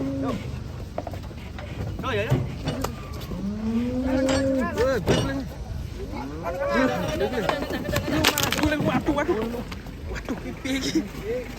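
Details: Cattle unloaded from a truck, one tumbling as it comes down; low drawn-out moos with rising and falling tone sound around the middle, mixed with people talking, background music and clattering handling noise.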